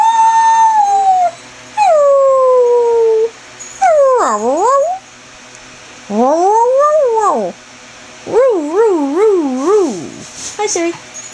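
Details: Greyhound doing its roo and whine combination: a series of long tonal howls, some falling steadily, others swooping low then rising, the last ones wobbling up and down in a warbling yodel, each lasting one to two seconds.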